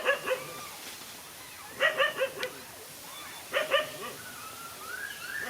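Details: Dogs in a fight, a lone dog against two males: bursts of harsh barks in quick clusters of three or four, separated by pauses of over a second, with softer whining tones between bursts.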